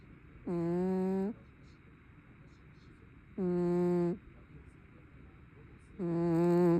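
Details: Sleeping brown tabby cat snoring: three low, droning, harmonic-rich snores, each under a second long and spaced about two and a half seconds apart, over a steady faint room hiss.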